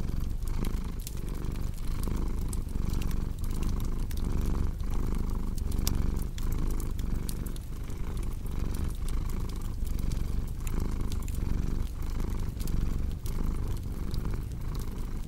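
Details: Steady, even purring from a cat, a low vibrating drone swelling and easing in regular inhale-exhale pulses about twice each second, accompanied by irregular fire crackles and occasional louder wood pops.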